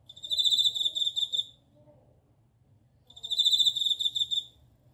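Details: Two shimmering, high trills from a bell cricket, each around 1.5 seconds long and pulsed toward the end, separated by a silent pause of about a second and a half. Soft low hum underneath.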